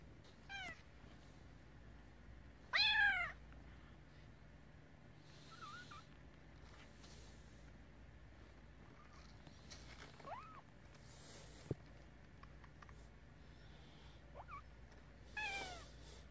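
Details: Nursing kittens give scattered short meows over sixteen seconds, some sharp and rising-falling, others soft brief chirps, with one louder squeal near the start and rustling between calls indoors.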